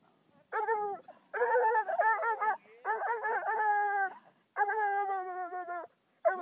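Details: A 5-month-old Bluetick hound meeting his second raccoon, which was later set free unharmed; loud, drawn-out harmonic bawls and howls in four long bursts separated by short pauses.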